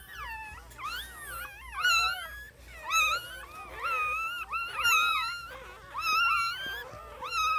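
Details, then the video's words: Newborn puppies whining together: several overlapping high, wavering squeals and whimpers, rising and falling, repeated almost every second in a continuous chorus. "New Born Puppies"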